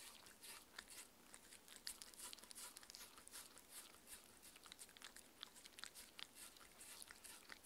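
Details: Six-year-old Shetland Sheepdog Mindy chewing her raw-food dinner in a small room: a steady stream of bright, crackling bites and smacking mouth noises, fast and slightly irregular, nothing else audible.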